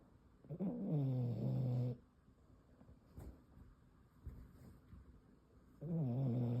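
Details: Sleeping Boston Terrier pup snoring indoors: deep, low, droning rasping breaths with a buzzy tone, one long snore of over a second, then quiet breathing before the next begins.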